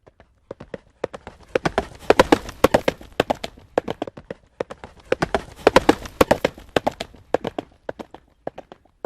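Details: Horse galloping in the field, heard as two swelling waves of rapid, hard clip-clop hoof strikes separated by lighter, more widely spaced beats.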